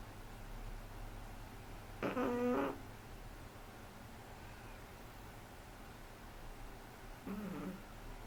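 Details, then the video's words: Three-month-old Shih Tzu puppy snoring indoors: two short, nasal, harmonic snorts roughly five seconds apart, the first longer and louder, over a steady low room hum. "SHIH TZU roncando"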